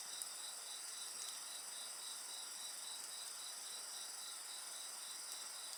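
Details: Steady insect chorus next to a bonfire: high, even ringing tones and a quick rhythmic trill of nearly four beats a second, with light scattered ticks of fire crackle.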